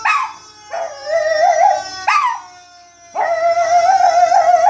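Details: Pet Chihuahua called Baby reacting to fire engine siren sound effects with wailing howls. Short rising howls give way to a longer, trembling, sustained note, over a steady electronic tone.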